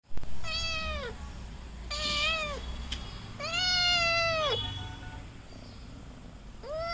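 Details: Kitten meowing: three long, clear, bending meows at a steady pace, the third the longest, with a fourth starting at the end; faint low background rumble.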